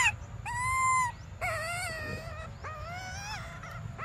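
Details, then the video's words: Desperate baby monkey Briar cries for milk in long drawn-out tonal wails, each held about a second, rising slightly at the end, three in quick succession over faint low noise. "Desperate Baby Briar Cries For Milk"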